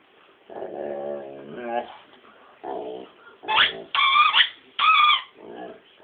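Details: A dog named Rommel gives a run of short howls and whines, lower wavering notes followed by three higher, strained yelping howls about a second apart, indoors with no other sounds.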